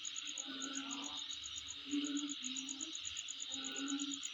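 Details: Insect chorus at a home location, a continuous fast, shrill pulsed trill above a bright hiss, broken by short low hoot-like tones roughly every second.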